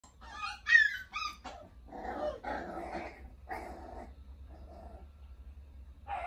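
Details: Puppy making quiet, high whimpering squeaks, then several rough, noisy growling bursts of about half a second each, over a constant low hum.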